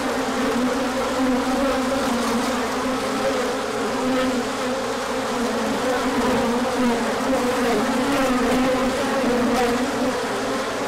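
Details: Crowd of bees taking an orientation flight on 24 March 2024 after the sun came out following a cold spell, with good pollen inbound afterwards; sustained multi-toned hum of many wings, wavering pitch bands, steady level.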